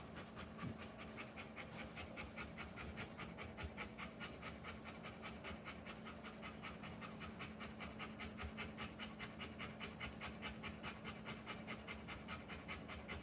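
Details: A Rottweiler whelping puppies pants rhythmically, fast even breaths repeating roughly two to three per second throughout, with a faint steady hum behind.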